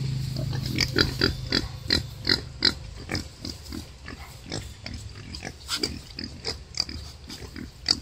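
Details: Wild boar sow struggling while giving birth. Short, sharp, squeaky pulses repeat rapidly, roughly three per second and unevenly spaced, over a low rumbling background.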